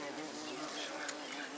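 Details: A bee visiting snapdragons makes a low, steady droning hum under a loud, broad hiss of background noise. There is one short sharp tick near the end.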